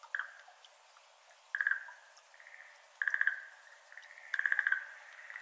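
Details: Schlegel's green tree frog, a Japanese endemic, calling on a May evening at 6:53 pm over a water-filled iris garden: short pulsed rattling bursts roughly every one and a half seconds, with soft water drips falling between calls.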